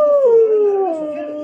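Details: Siberian husky howling when it sees itself on TV: a smooth, sustained tone that starts higher, slides down and holds, with steady harmonics and no other clear sounds.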